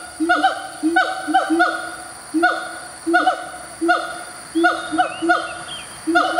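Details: A siamang in a Malaysian tropical forest gives loud, hooting territorial calls in short, repeated bursts with falling, bark-like notes; the throat swells grey when calling, and these calls are often heard in the morning.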